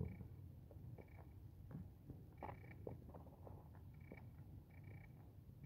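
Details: Pet cat living indoors gives a low, even purring rumble with slight pulsing, while thin high tones come and go faintly in the background.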